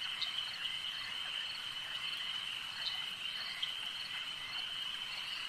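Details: Frogs calling at a lake at night in a dense, continuous chorus, a steady high trilling band with occasional brighter chirps poking out, like an overlapping insect-like drone.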